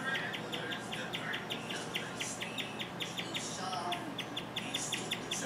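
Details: Indoors, Rover, one of two guinea pigs, chirps unusually long: high, bird-like peeps repeated several times a second, with a person speaking quietly; chirping is rare for these pets and its cause unknown.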